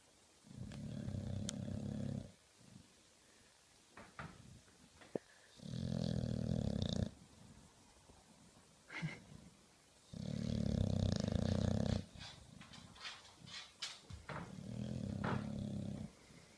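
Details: An English Bulldog snores while awake, long, deep, rumbling rasps separated by quieter pauses.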